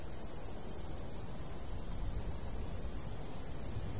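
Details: Crickets in summer countryside beside a golden wheat field, a light breeze blowing; high, thin chirps pulse in short repeated bursts over a steady low rumble of wind.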